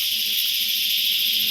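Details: Cicadas (chicharras) heard during a hunting outing, a seasonal sound said to return every year: a dense, unbroken high-pitched buzzing drone that holds steady throughout, with a faint shimmering pulse in its highest tones.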